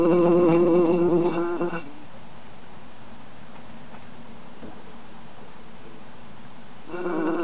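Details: Three bees trapped in a jar in summer, buzzing in a loud, steady, rich droning hum with a slight waver. Bursts fill the first two seconds and return near the end, with soft hiss between.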